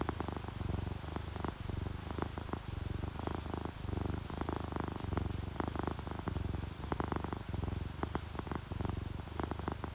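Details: Relaxed purring from a dozing ginger tabby or calico domestic cat, rain added beneath: low, throbbing rumble rising and falling with each breath, with soft crackling clicks scattered through the steady purr.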